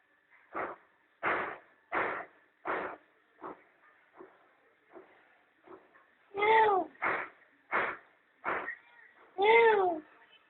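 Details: Mother cat with her playful kittens enjoying the sun at home; a run of short mews, roughly every half second, several with clear tonal harmonics, some fainter than others.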